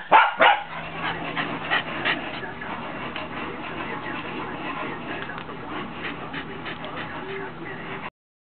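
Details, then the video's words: Scottish Terrier at a window, giving a few sharp barks and yips at the start, then a long stretch of quieter, rapid muffled barking and whining against a steady low hum, ending abruptly. "Scottish Terrier Baily at Window again"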